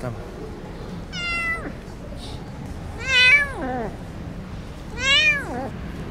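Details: A rescued Persian cat, abandoned as a kitten on a cold winter street, meows three times: clear harmonic calls that rise then fall, about two seconds apart, with faint background hiss.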